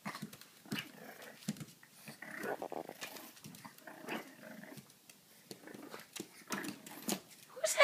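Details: A French bulldog seeing himself in a mirror for the first time, apparently taking his reflection for another Frenchie, gives short, gruff barks and grumbling growls while a man talks to him.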